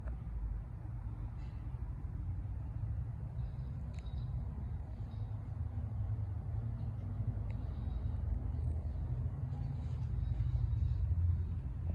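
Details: Steady low traffic rumble from passing vehicles with faint distant clicks; no animal sound is heard.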